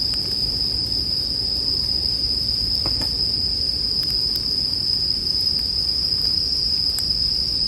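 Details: Bell crickets keep up an unbroken, shrill, bell-like trill; scattered crackles of a burning campfire punctuate it and a faint low rumble sits beneath.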